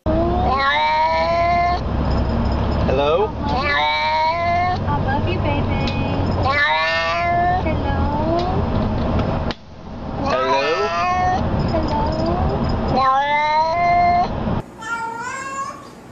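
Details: Cats meowing in greeting, answering a person's repeated hello; a run of loud, harmonic meows with rising and falling pitch, several overlapping in quick succession, with human voices and low background rumble.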